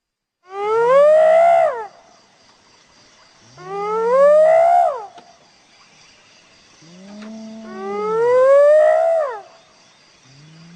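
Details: Hyena whooping: three long calls, each sliding upward in pitch and then dropping at the end. They come about every three to four seconds, with a faint high hiss in the background.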